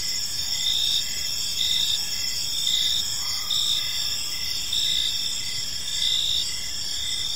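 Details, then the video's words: Park crickets at evening giving dense, high, ringing trills with rhythmic pulses near once per second, multiple callers blending into a constant shimmering chorus above faint background hiss. "Park Serenade: Cricket Sounds in a Peaceful Park | Evening Ambience"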